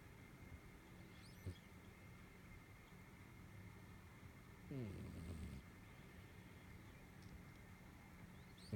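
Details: Snoring cat: a short low snort early on, then a longer rasping, grumbling breath a few seconds later, set against constant low hum and faint high chirps.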